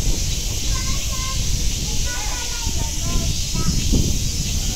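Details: Cicada chorus at Nogeyama Zoo, a continuous high shrill drone underneath low rumbling background noise and a few faint thin whistles from other birds.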